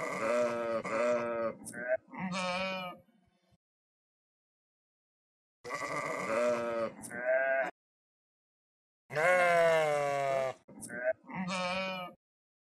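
Several sheep bleat loudly in turn, with quavering, wavering baa calls in three bursts.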